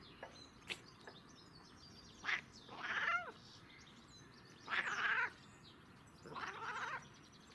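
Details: Domestic cat on catnip making funny noises: three short wavering meows spaced a couple of seconds apart, with faint clicks between them.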